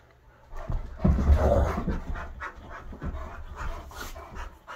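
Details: Indoors in a living room, a Great Dane, a wolf-hybrid and an Aussie mix wrestle in rough play; quick breathy panting, about three breaths a second, with heavy low thuds after a quiet start.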